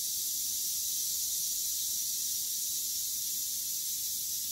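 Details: Rattle of a western diamondback rattlesnake during a fast, venomous mouse kill: one unbroken, loud, sizzling buzz that holds steady from start to finish, with no pause or change in pitch.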